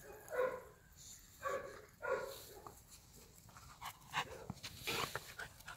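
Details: Playing Golden Retriever puppies let out three sharp, high yips about a second apart, followed by softer shuffling, scratching and clicking noises as they tumble about.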